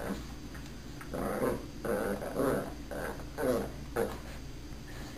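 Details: Puppy in training to speak on command, giving a run of short, rough, growly barks in bursts spaced under a second apart, fairly quiet overall, with a sharp louder knock at the very end.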